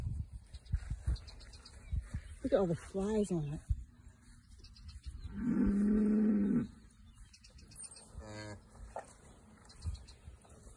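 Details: Emma, a Jersey cow on a farm, moos around the time her calf is born: one steady, low, droning moo of about a second and a half. A woman's voice comes just before it and a few faint thuds surround it.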